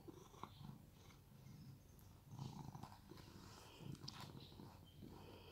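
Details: Rescued domestic cat purring while being groomed at home in Cooktown, Queensland, Australia; a faint, low, continuous rumbling purr with soft rustling and occasional light clicks from the grooming.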